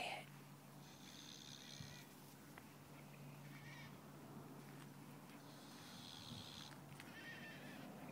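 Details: Boar napping on a sunny December afternoon, a steady low rumbling snore running throughout, with bursts of higher buzzy noise on each breath at intervals of a few seconds.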